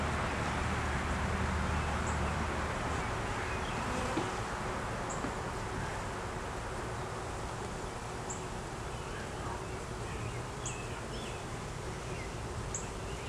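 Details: Honey bees in a beeyard hive opened for inspection, a colony with a laying queen, honey, capped brood and larvae, filmed on a Canon Rebel T6 DSLR; steady, dense low droning hum throughout, with faint high bird chirps now and then.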